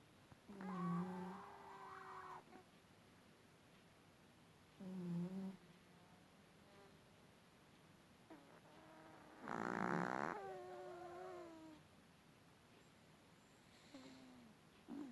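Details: Long-haired Chihuahua asleep indoors, suddenly snoring loudly from its tiny body even though a vet found nothing wrong: four irregular snorts and wheezes, each a rough, nasal buzz with a whistling tone, spaced several seconds apart.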